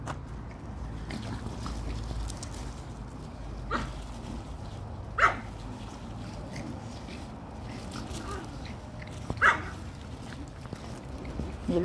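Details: Chihuahua dogs playing together at the Kastropulo kennel in Crimea: a few short, sharp yelps near four, five and nine seconds rise over steady low background noise, with quiet human speech in between.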